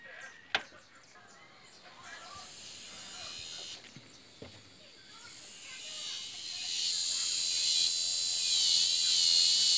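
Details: Cicadas in an aroeira tree. A faint, chirpy background gives way midway to a loud, high, hissing buzz that swells steadily and holds to the end.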